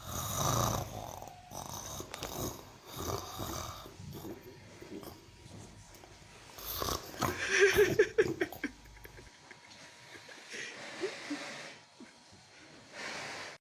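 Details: Mimosa, a sleeping cow, snoring: rough, breathy rasps rising and falling in uneven bursts, loudest around the middle, then quieter wheezy breaths with a few clicks and rustles.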